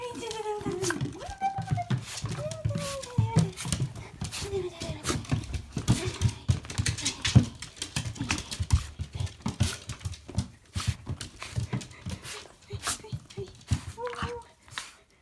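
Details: Shiba Inu named Riri, about three months in the home, greets someone at the door on 16 March 2018. High sliding whines fill the first seconds, then rapid clattering taps and thumps, with one more short whine near the end.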